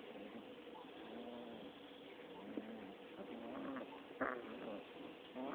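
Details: Six-week-old Rottweiler puppies fighting and playing together: soft, rough grumbling growls with low harmonic tones come in short bursts, a sharp click lands near the end, all over a steady background hiss.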